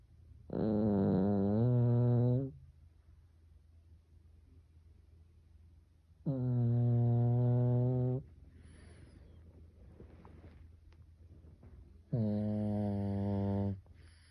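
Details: Pet Pekingese named Byeol snoring at home while asleep, much like a person snores: three long, deep, harmonic snores of about two seconds each, spaced roughly six seconds apart, with quiet breathing between them.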